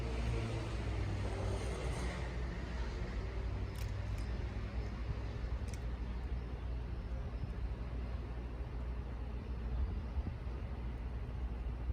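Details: Steady low vehicle rumble and roadway traffic noise in an urban outdoor setting, with a few faint clicks; no animal voice stands out.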